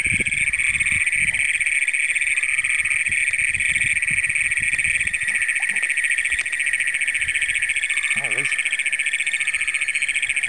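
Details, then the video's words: Night chorus of Great Plains toads in Brown County, Minnesota, June 27, 2010, the county's first documented, recorded on a Canon PowerShot SX100: a steady, loud, high-pitched pulsing trill running unbroken, with faint low thumps and handling noise. "Great Plains Toads in Brown County, Minnesota."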